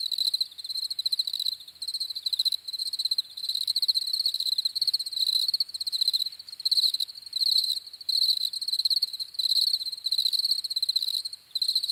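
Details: A dense chorus of crickets makes an unbroken shrill pulsing trill, with fast ticking texture and gentle swells in volume over twelve seconds, with nothing else prominent.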